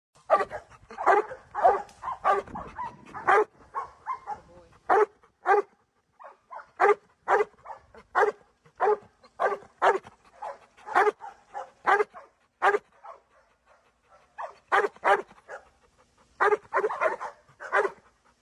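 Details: Giant Schnauzer kept as a pet, barking loudly in a long series of sharp, rapid barks, often in quick bursts of two to four with short pauses between, clean background.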